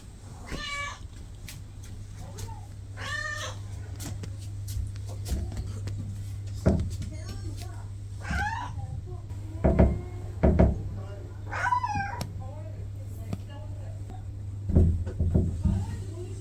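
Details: Norwegian Forest Cat meowing while begging: several drawn-out, wavering meows with rich harmonics, some rising then falling, spaced a few seconds apart, mixed with a person talking and a steady low hum.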